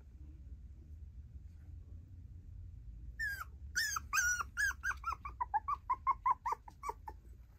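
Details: Female tiny poodle indoors, quiet at first, then a run of high, nasal whines and yips starting after three seconds, repeated about twice a second and gradually falling slightly in pitch, over a low steady room hum.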